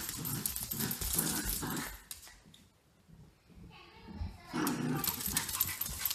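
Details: Grace and Button, a cockapoo and a shih tzu, play-fighting: grumbling growls and scuffles, a quieter lull in the middle, then rough growling and thrashing noises resume.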